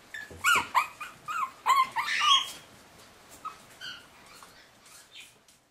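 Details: Forty-day-old puppies on the move: a cluster of sharp high yelps and whines in the first two and a half seconds, then sparse softer whimpers fading out.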